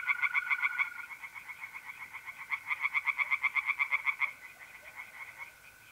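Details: In a pond in North-East Italy on an April night, tree frogs sing quick pulsed croaks, a short burst and then a longer run of about four per second, while mole crickets trill steadily beneath.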